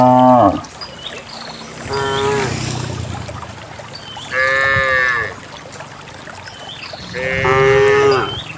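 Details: Several moos from dozens of cows walking out together toward a green valley on a quiet morning in the countryside, along wet paths through wild grass; four harmonic-rich calls, some rising and wavering, with quiet rustling between.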